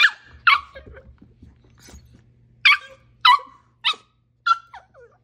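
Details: Sharp, high barks from Mishka the husky during play with her dachshund, about six over five seconds at uneven spacing, some trailing into short whiny tails, with a faint low rumble underneath.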